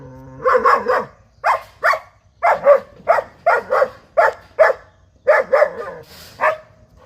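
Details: Five-month-old German Shepherd puppy barking repeatedly while asked in Bengali to bring its ball; a quick run of about fifteen sharp barks in pairs and clusters, mid-pitched and punchy, with short pauses between bursts.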